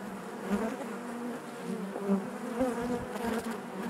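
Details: Steady drone of many honey bees inside a hive, a continuous low hum with a layered harmonic band and small surges as single bees fly close to the recorder.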